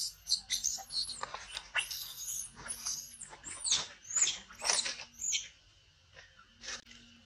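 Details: Mother monkey warning her baby Brisco; shrill, arched squeals come in quick bursts for five seconds, then fade to quiet before one last short high cry near the end.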